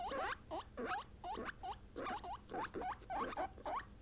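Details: Female guinea pigs (Peruvian, English, Teddy) calling when they sense something: steady run of short rising whistled squeaks, roughly one per second, each curling upward, quiet surroundings.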